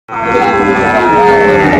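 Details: Sahiwal bull cattle at Raniganj cattle market (haat) in Bogura, Bangladesh, 6 January 2025: a steady, drawn-out harmonic moo lasting nearly two seconds, loud and sustained, with faint market murmur behind.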